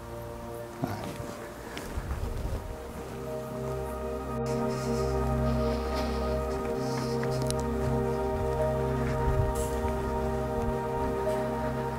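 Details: Sustained music fills the whole stretch, its tones holding level throughout. Soft rustling and faint footsteps sit underneath, but no animal call comes through.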